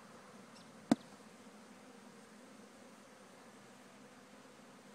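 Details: Swarm of honeybees from a farm hive during an easy relocation on a lovely day, giving a quiet, even hum that holds steady for five seconds, broken once by a single sharp click.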